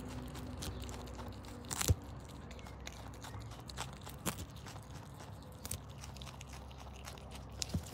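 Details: Paula, a pet Brush Tailed Possum adopted as a baby in Australia, eating lettuce, silverbeet and carrot; soft crunchy bites and chewing clicks scattered through a quiet indoor room, with a sharper crunch near two seconds.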